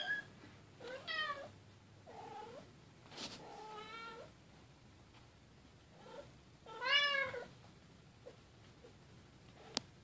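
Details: Silver Bengal kitten Keylala playing with sister Luna and mother Xia. Clear, tonal meows repeat every couple of seconds, some drawn out and wavering, others short. Soft knocks of movement sit between them.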